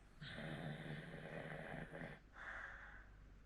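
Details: Snoring from an elderly Hokkaido dog, 14 years old, in Sapporo. A long, droning, voiced snore lasts nearly two seconds. A shorter breathy rasp follows right after, in a quiet room.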